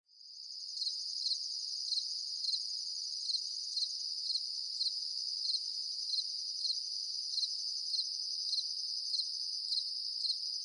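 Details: Crickets calling at night: a steady high-pitched trill, continuous throughout, with regular brief accented pulses about every half second and a fainter higher band above; no other sounds.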